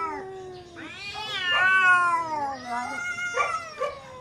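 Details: Two neighbour cats fighting intensely, giving long wavering yowls that rise and fall in pitch, overlapping howls with rich harmonics and short louder bursts toward the end.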